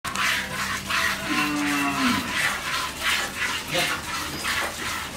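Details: Friesian cow at a dairy farm in Pabna, Bangladesh, after her first calving with a heifer calf. She gives a single short, steady, low moo of under a second, half buried under loud hissing broadband noise.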